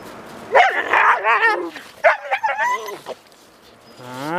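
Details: Male dog pursuing a visiting female during a mating visit: loud, excited yelping barks and whining cries in quick bursts over about three seconds, then a brief high whine at the end.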